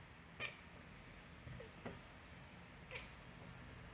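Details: Cats meowing loudly: three short, sharp meows spaced roughly a second apart over a low steady background hum.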